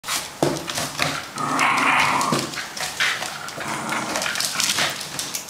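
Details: Fox terrier P jai, a two-year-old male pet at home in Hong Kong on a weekday evening, attacks and chews a carton box; a strained, whiny growl swells midway amid loud crackling and tearing of cardboard.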